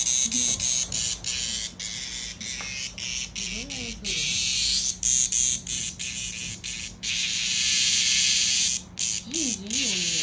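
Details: Cicada in Japan during an encounter with a playful cat: loud, dense, high buzzing that runs in long bursts broken by brief pauses, with a few low, wavering, voice-like sounds underneath.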